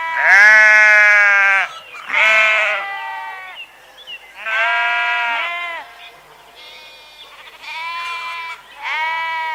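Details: Loud, clear sheep bleats, each one to two seconds long, in a series with short gaps; strong harmonic baas, some higher and thinner, suggesting several animals calling in turn.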